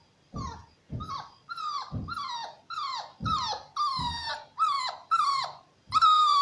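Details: Shar Pei cross puppy up for adoption gives a steady run of high, tonal yelping barks. Each is short and bends down in pitch, about nine in six seconds, spaced under a second apart, in a quiet setting.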